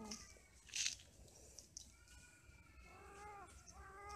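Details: Mating, quarrelling cats give faint, wavering tonal wails that swell in the second half, after a brief rustling clatter near the start.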